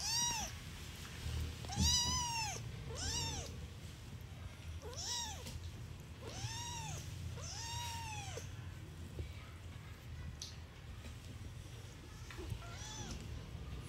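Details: Newborn domestic kitten meowing: a series of thin, high arching mews, each rising then falling, several in quick succession with short pauses, over a steady low hum in the background.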